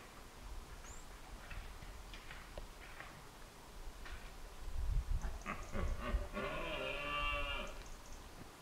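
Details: Red deer stags roar during the rut at dawn in Scotland, deep guttural bellows that swell and fade, with birds of the dawn chorus audible; earlier the deer clash antlers.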